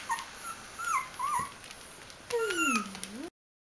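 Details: Bichon Frisé puppies aged three weeks and four days at a kennel: thin, squeaky whimpers with short wavering pitch bends, then a longer whine sliding down and back up.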